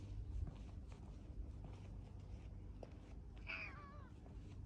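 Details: Pet cat walking alongside its owner and trying to jump onto their lap in a park in Adachi, Tokyo, Japan, on 2 December 2022; one short, bright meow that rises then falls, heard over a steady low rumble of traffic.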